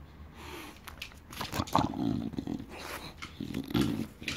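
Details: Bulldog indoors, just back home after a stay with the breeder, seeking attention. Low grumbling, growl-like vocalisations come in several short bursts, with a woman talking close by.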